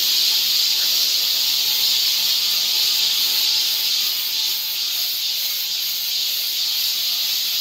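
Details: Continuous cicada song on a summer forest trail in Seoul, Korea: a loud, even, high hiss that swells slightly in places, over a faint low steady hum.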